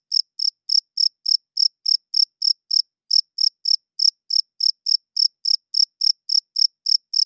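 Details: Crickets chirping loudly at night, the male's wing-rubbed call used to attract females and establish territory; steady high chirps around three and a half per second with a brief pause just before three seconds, otherwise silent background.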